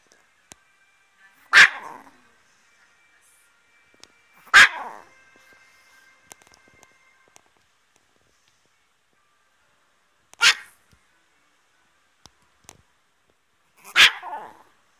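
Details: Chihuahua barking: four sharp, single barks spaced a few seconds apart with long quiet gaps between, each bark bright and harsh, in an otherwise quiet room.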